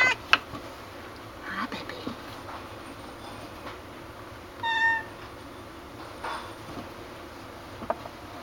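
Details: Peanut, a black and white female cat about 3 years old, spayed, possibly blind in her right eye, at Town Lake Animal Center in Austin, Texas, gives one short harmonic meow while a person speaks to her softly indoors.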